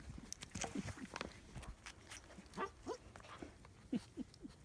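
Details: German Shepherd puppies almost 9 weeks old playing outside in Florida on Valentine's Day, February 2017; short yelps and low growly yaps come in irregular bursts, with rustling and handling noises around them.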